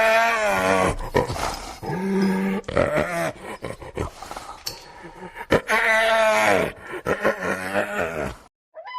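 Hyena giving harsh, wavering, groaning cries in bursts of about a second, rising and falling in pitch.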